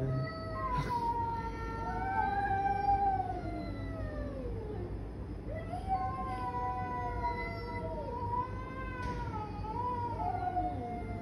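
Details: Domestic cats fighting: long, drawn-out wailing yowls that waver, rise and fall in pitch, sometimes overlapping and sliding downward, with a low steady rumble underneath throughout.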